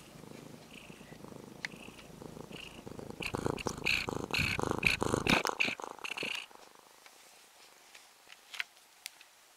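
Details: Orange-and-white stray kitten, fed for about six months near a home and now almost a house cat, purring while stroked after approaching on its own; steady low rumble broken by loud rustling and scratching handling noises midway, then quieter.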